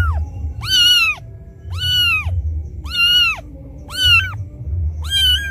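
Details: Abandoned kitten calling for its mother with loud crying, a sound meant to lure cats; five drawn-out arched meows at nearly regular intervals, each about half a second, with a low rumbling background.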